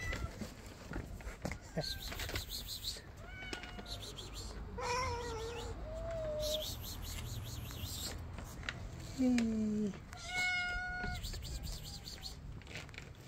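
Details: Hungry kittens meowing because their dinner is late: a series of separate meows, some falling in pitch, a loud low drawn-out one near the end, over steady background hiss and faint indoor noises.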